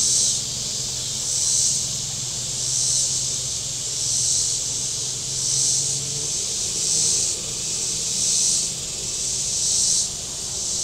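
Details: Cicadas on the shore of Table Rock Lake, southern Missouri, on a very warm Saturday: a steady high shrill buzz swelling and fading about every one and a half seconds, with low motorboat engine hum beneath.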